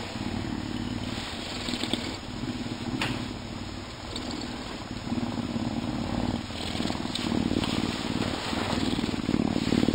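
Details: Captive Canada lynx, an animal ambassador, filmed in February as a storm approaches, giving a deep, rough purr of rapid low pulses that swells and fades in bouts, with a faint background hum.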